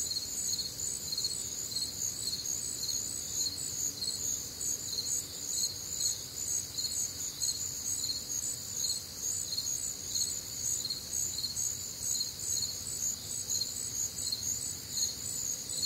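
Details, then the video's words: Warm, humid Midwestern summer night with crickets: a steady wall of high, rhythmic chirps, roughly two pulses a second, multiple callers overlapping, and faint low-pitched night ambience below. "Night Time Cricket Sounds"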